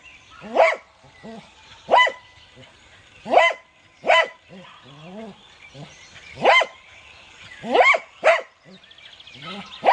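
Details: Cocker Spaniel barking: sharp, harmonic barks come singly or in quick pairs, about every one to two seconds. Softer, lower whining or growl-like tones fall between them, with faint room sounds behind.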